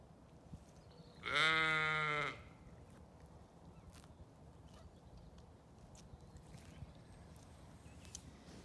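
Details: A single strong, nasal bleat of about one second rises from a Zwartbles sheep in a lambing paddock on a County Kilkenny farm in Ireland, surrounded by long stretches of quiet outdoor background.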